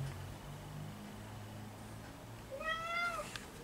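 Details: Two cats, one silver and one semi-feral tabby, friendly to each other while eating tasty snacks on a garden table; after quiet, a single drawn-out meow rises then falls near the end, followed by a brief clatter.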